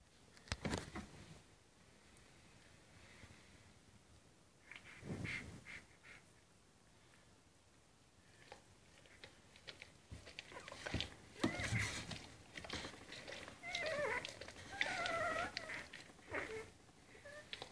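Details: Rhodesian Ridgeback puppies only three hours old, resting warm beside their mother on their first day; brief squeaky whines and bending squeals come in scattered bursts, busiest near the end, between soft rustling and thumps.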